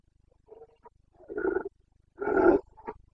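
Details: Carpathian stag in Bucovina's mountain forests during the late-September 2022 rut, giving the roar known locally as boncănit. Two moderately loud guttural bellows, about half a second each, framed by soft grunts and a low rumble.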